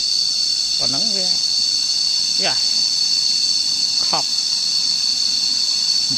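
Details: Cicada chorus recorded on a nature walk, a continuous shrill buzzing hum holding level throughout, with three or four brief squeal- or voice-like sweeps breaking in over it every second or two.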